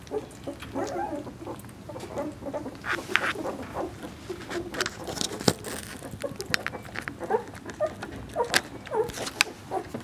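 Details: Two-week-old Vizsla puppies from Piper's litter, born 20 February 2012, squeak and whimper over one another in a busy chorus of short, high, wavering cries, with soft rustling and shuffling between them.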